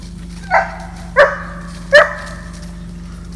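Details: Three clear, resonant barks, spaced under a second apart, from Georgia, a seven-month-old female German Shepherd at an off-leash board-and-train obedience program in the Atlanta area, Georgia, USA.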